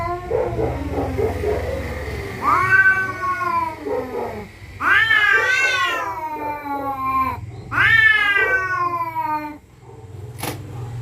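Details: Rival territorial cats at night give three long wavering caterwauls, each climbing then sagging in pitch, against a low background rumble.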